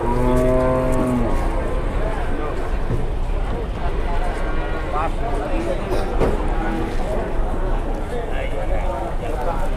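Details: Agitated Sapi Grandong cattle coming down from a truck in Indonesia; one long, low, harmonic moo opens the recording, then voices, engine noise and general bustle take over.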